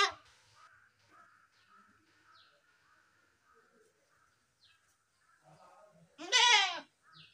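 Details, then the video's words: Quiet background noise for several seconds, then a single sharp, wavering goat bleat near the end, with a faint short sound just after. "best goat sound in the world | goat sound"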